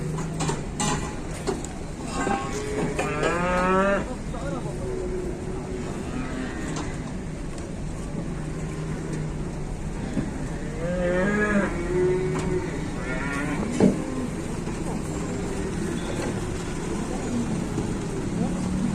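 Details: Indonesian cattle stepping down from a truck give loud, wavering moos, one long call early and another around the midpoint, each rising and falling in pitch, amid low rumbling, clanks of metal and faint human voices.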